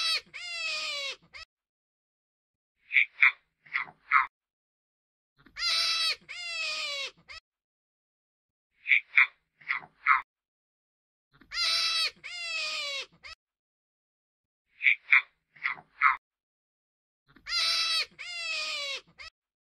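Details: Hare or jackrabbit (genus Lepus) giving a repeating pattern: a long, harmonic, high-pitched wailing squeal with a shorter follow-up, then three or four short nasal squeaks, the sequence recurring roughly every six seconds throughout; quiet background otherwise.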